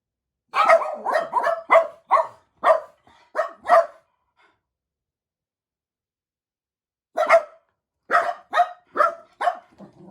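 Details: Four pet Jack Russell Terriers waiting indoors for their owner's return, as they do every day; a rapid run of about nine sharp barks, a pause of three seconds, then another burst of five barks with a low whine.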